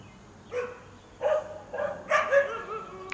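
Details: Domestic dog in Quitman, Mississippi, 13 April 2016, barking in alarm from its own yard at a feral cat acting abnormally by not fleeing; a quick series of four or five sharp, mid-pitched barks within three seconds.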